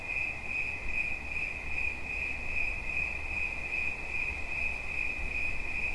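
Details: Steady shrill cricket chirping, rapid even pulses of a single high note, partly underlain by a fairly strong deep rumble.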